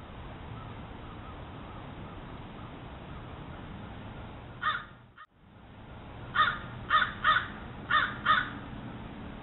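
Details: Red foxes on a trail camera behind a home in Haywood Knolls, Hendersonville, North Carolina: one harsh, hoarse bark, a pause, then a quick series of five short raspy barks about half a second apart over steady low hiss.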